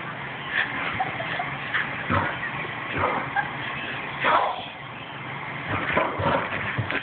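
A Boston Terrier gives sharp, irregular barks with brief whimpering sounds between them.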